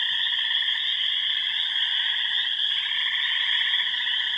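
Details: Frogs and toads in full chorus at remote Yellow Dog Plains ponds, Upper Michigan: wood frogs, spring peepers, green frogs, gray tree frogs and toads. Steady, thick mix of shrill peeping and lower vibrating trills without pause.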